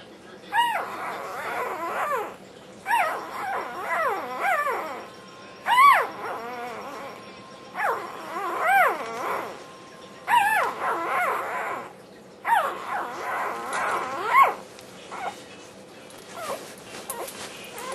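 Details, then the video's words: Young black tri Australian Shepherd puppy vocalising while eating dinner: repeated warbling, wavering whines and yelps rising and falling in pitch, in bursts every two to three seconds, like a sung, yodelling moan. "puppy sings for dinner"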